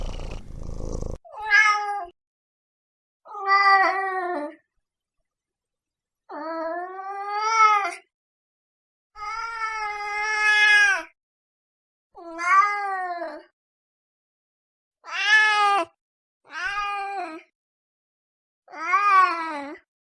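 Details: Domestic cats meowing, a series of about nine drawn-out, harmonic meows, some rising then falling, spaced by short silences over twenty seconds; a brief noisy scrape at the start.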